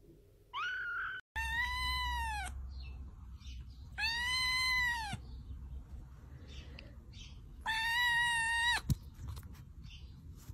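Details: Kitten meowing loudly: three long, arching, strongly harmonic mews, each under a second, repeated about every three seconds and rising then falling in pitch, with a softer higher mew before them and low background rumble.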